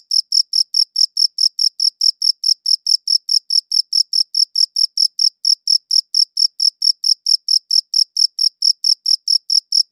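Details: Steady cricket chirps, captured with a good audio recorder, repeating rapidly and evenly, roughly four per second, each a sharp high pulsed burst with no background noise at all.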